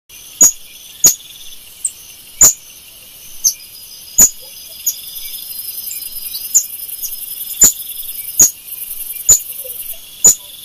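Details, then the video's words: Golden lion tamarin screaming: sharp, very high chirps struck about once a second, some with a piercing whistled core, plus a thin steady whistle midway, over a constant shrill insect drone. "mico leão dourado gritando"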